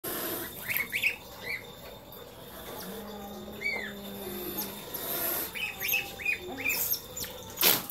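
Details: Pet otters, a naughty one bothering the others, giving bright rising chirps and short squeaks in scattered bursts, with a low steady hum beneath and some rustling.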